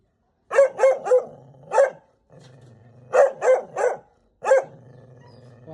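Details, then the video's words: A house dog, the mother, barks furiously as a stranger comes to the house; bursts of three or four sharp barks separated by pauses, echoing inside, with a faint low hum in the background. "The mother dog gets angry when someone comes to the house! The best dog barking sound"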